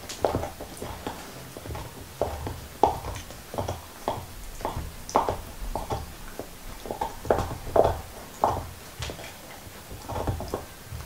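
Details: Nixon, a black Lab, chewing a beef bone indoors with no talking: steady series of sharp crunches and moist smacks spaced irregularly over several seconds, low thuddy knocks underneath.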